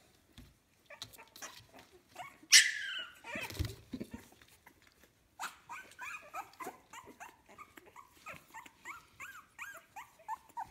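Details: Puppies aged 15 days from kennel Fox Empire's litter "A": after a sharp loud squeal and some rustling, a run of thin, high whining chirps repeats steadily, each bending up and down in pitch.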